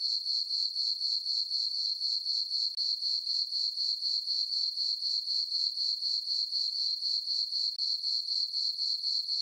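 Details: High, piercing cricket chirps from a summer-night meadow on a farm under a full moon, pulsing rhythmically about four times a second with a couple of tiny breaks, and no other sounds.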